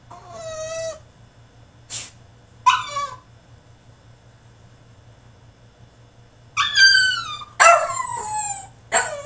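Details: French Bulldog throwing a tantrum in his cage: high whining cries with stacked harmonics, sharp yelps and falling squeals in bursts, a long quiet gap in the middle, then a loud run of whines and barks.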